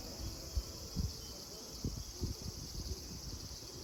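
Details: Cicadas at Kozoji Temple, also called Takakura Kannon, in Yana, Kisarazu, Chiba, Japan: a steady high shimmering drone holds throughout, partly buried under low rumbling thumps and handling noise.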